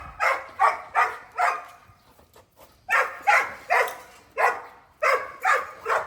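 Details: Big family retriever at play, breathing in loud, breathy pants in two runs of rapid bursts, about two and a half per second, with a short pause between them.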